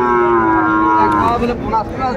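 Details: Single drawn-out, steady moo of a Sahiwal bull calf at a Bangladeshi cattle market in Kurigram, 22 March 2025, fading after just over a second into men's voices.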